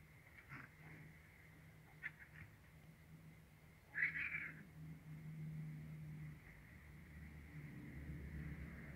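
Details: Cute kitten getting used to a black male cat: a single short, loud, strained meow-like cry near the middle, a few faint clicks before it, and a steady low hum and a thin constant tone throughout.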